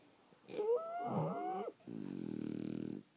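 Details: French Bulldogs asleep. One breath gives a thin whistling wheeze that bends up and down, and a short pause follows. Then comes a low, evenly rattling, buzzy snore lasting about a second.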